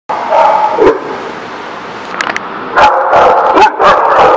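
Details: Dogs at a dog lot on September 22, 2017, barking: dense, overlapping barks and yips run almost continuously, with sharper bursts near the end.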